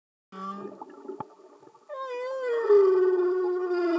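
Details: Humpback whale singing underwater, recorded without music; a low steady tone and scattered clicks give way to a loud, wavering moan that slides downward and holds, rich in overtones.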